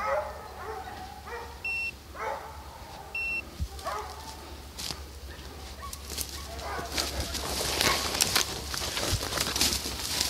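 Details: Hunting hounds chasing deer on a hunt in St Helena, South Carolina: several distant dogs baying in overlapping bursts, noisy outdoor background with rustling and clicks growing louder toward the end.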